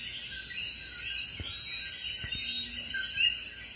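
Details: Coqui calling in the evening at a rainforest inn, one of many night callers: a clear two-note call, a short lower note then a higher rising one, stands out near the end over a dense, steady insect chorus, with a few soft thumps.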